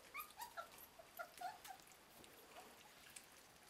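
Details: Border Collie puppies from litter J, heard as faint, high squeaky whimpers and yips coming in quick irregular bursts over the first two seconds, then fading to quieter scattered squeaks with light background noise.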